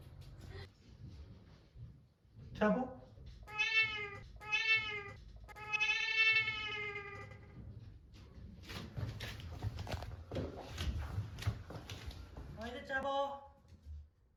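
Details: Munchkin cat answering when called by name, indoors; a run of three clear, bright meows in quick succession around the middle, a brief one earlier and another at the end, with a person's voice and rustling.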